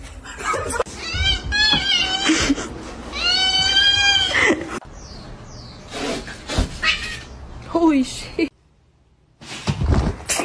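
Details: Domestic cats indoors in a small room, a compilation of kittens meowing: several drawn-out harmonic meows with wavering pitch around the first four seconds, then scattered short cries, a brief silent gap, and some human voices mixed in.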